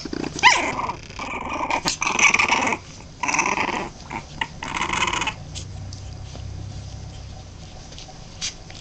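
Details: Boston Terrier puppies, 23 days old, growling: rough, broadband bursts in uneven runs over the first five seconds, then fading to a quiet low hum with only a faint click near the end.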